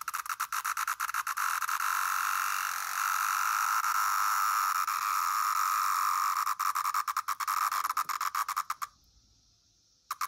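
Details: A male pharaoh periodical cicada (Magicicada septendecim, Brood XIII) recorded indoors in Naperville, Illinois, May 29, 2024, gives a harsh, buzzy distress call that stutters, swells into a steady rasp, then breaks off.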